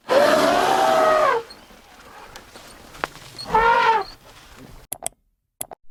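An elephant gives two loud, brassy trumpet blasts, the first long and arching in pitch, the second shorter, followed by a few sharp clicks.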